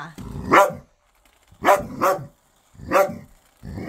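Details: Pet dog, ten years old, playing with a new ball toy: a series of short, punchy barks, two close together in the middle, spaced about a second apart in a quiet room.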